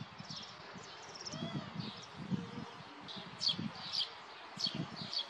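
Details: A European hedgehog foraging in a garden gives soft, low snuffles and grunts, uneven in rhythm and rough in tone, while small birds chirp thinly now and then in the background.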